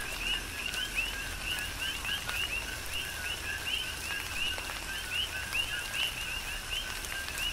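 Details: On the Big Island of Hawaii, a chorus of coqui frogs calls through a rain shower; quick upward-sweeping chirps tumble over one another almost without pause, backed by soft steady rainfall and drip sounds.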